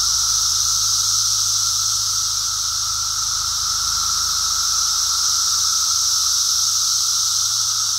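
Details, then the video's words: Brood X periodical cicada emergence, recorded on a walk on 2 June 2021: a dense, unbroken, high-pitched hissing chorus holds steady throughout, with a lower steady tone beneath and faint low rumble. "Brood X cicada walk"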